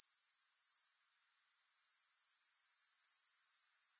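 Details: High-pitched pulsing grasshopper trill that cuts out for about a second, then returns gradually, building back to a steady rapid rhythm with no music.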